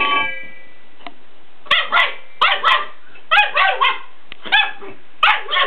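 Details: A Weimaraner dog left with an empty food bowl barks in short harmonic bursts, mostly in pairs spaced about a second apart, each bark stacked and slightly falling in pitch, with a few sharp knocks between them.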